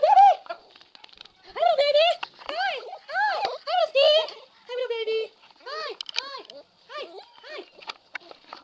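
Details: Frankie, a female pet pup, howling when excited to see someone: a run of about a dozen short, arching yelp-howls that rise and fall in pitch, rich in harmonics, with brief pauses between bursts.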